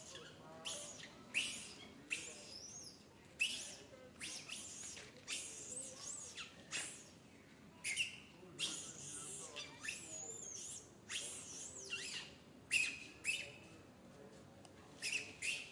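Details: Baby monkey Santo, in a bad mood, cries on and on as his mother Sara pays no attention; piercing high screeches, some wavering and arched, burst out roughly once a second with short quiet gaps between.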